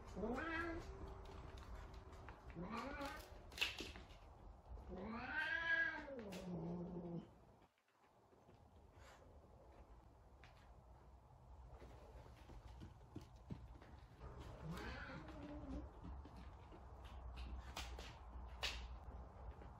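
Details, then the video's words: Indoor F2 Savannah cat, described as angry, makes several short wavering yowls that arch up and down in pitch, followed by a faint later cry, amid clattering handling noises and some background voices. "Angry Cat"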